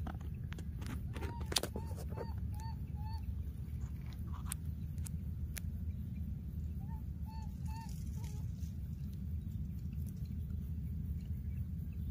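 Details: Wild baby monkey calling after losing its playmate: short tonal, slightly rising notes with harmonics, a run of about five in quick succession, a pause of several seconds, then another brief cluster, over a steady low rumble with occasional clicks.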